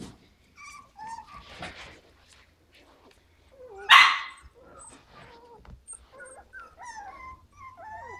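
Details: Five-week-old Havanese puppies from a litter of seven: scattered thin whimpers and squeaky sliding whines, one brief louder yelp near the middle, then more soft rising-and-falling squeals toward the end.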